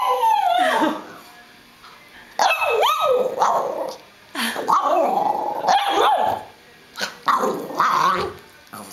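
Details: Female pet hairless terrier trying to talk to her owner with a ball in her mouth: muffled, grumbling whine-howls that rise and fall in pitch, in bursts of about a second with pauses, and the owner speaking between them.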